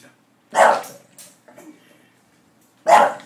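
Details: A startled English Bulldog barks after someone bumps the laundry basket indoors; two short, harsh barks about two seconds apart, with a faint sound between them.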